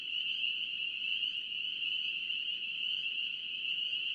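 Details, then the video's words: Spring peeper frogs, North Carolina, calling together as a steady, bright high-pitched drone of overlapping peeps with slight swells in loudness, over faint low background noise. "NC Peeper frogs"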